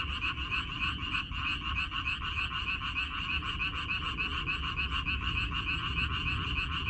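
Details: Water dropwort (minari) field frogs on 14 May 2021 in full chorus: quick, overlapping croaks rattle continuously, loud and evenly paced, with no other sounds standing out.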